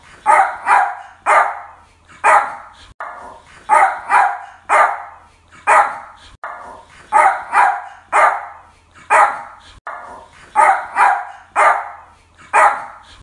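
A Yorkshire Terrier barks in quick, sharp bursts, two or three yaps at a time.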